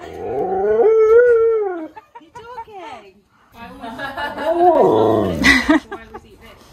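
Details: Siberian Husky visiting a friend's house gives a drawn-out, wavering howl-like vocalisation lasting over a second, rich in stacked harmonics, then short yelping notes, followed by a person talking and another rising-falling vocal sound.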